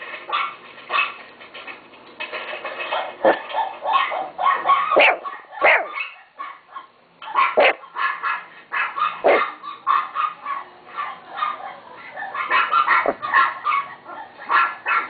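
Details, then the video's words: High, sharp yapping from a pet chihuahua, dense clusters of barks broken by a short quiet spell near the middle, with a light background hum. "My chihuahua Timo bark"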